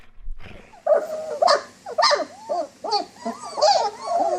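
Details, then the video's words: German Shepherd dog giving a run of high, arching whines and short yelps, several sharp bursts about every half second, with rough growly edges between them. "GERMAN SHEPHERD Sounds for Kids - Barking, Howling, Breathing Sounds of German Shepherd Dogs"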